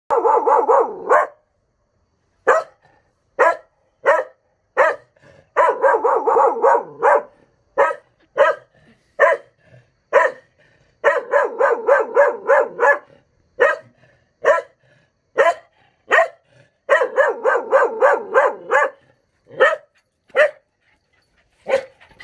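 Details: A Cocker Spaniel howls for no apparent reason in wavering, yodelling bursts broken by short sharp barks.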